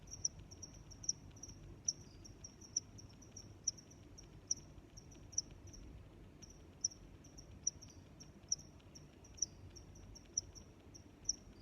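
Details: Crickets chirping: sharp, high-pitched chirps repeat steadily about once every 0.85 seconds, fourteen in all, with softer chirps from other crickets between them over a faint low rumble.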